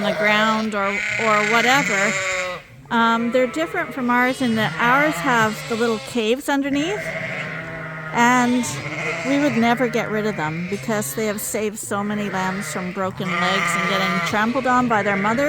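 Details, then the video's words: Escaped Suffolk lambs mixed together in a barn at Ewetopia Farms call in a busy chorus, with quavering bleats overlapping one another almost without pause. "Lamb Escape Chaos! Suffolk Groups MIXED in the Barn"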